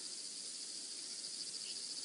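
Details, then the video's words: In the Mara Triangle on 22 September 2016, toward evening while still light and after rain, a dense, steady chorus of crickets and other insects gives a shimmering high trill that never pauses; frogs are also calling. "just listen, you can hear crickets, lots of insects coming out as a result of the rain we've had here."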